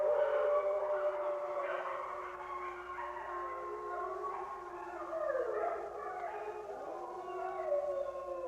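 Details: Wolf pack howling, opening with one clear, steady tone before the voices spread into overlapping sliding howls, some dipping and rising in long arcs, volume easing then lifting again.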